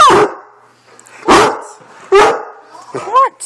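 A Great Dane gives deep, throaty woofs and groaning barks, asking to be taken for a walk.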